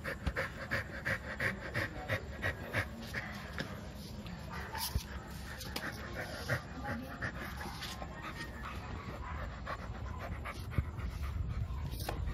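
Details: Milo, a two-year-old male American Bully wanting to play, panting in quick breathy puffs, roughly three per second, broadband hiss with soft thumps and rustling.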